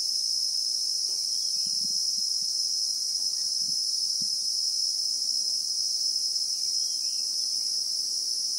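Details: Steady high shrilling of Christmas beetles (Anoplognathus) in South African bushveld, recorded in real time, with a few faint distant bird chirps and light low taps and rustles in the background.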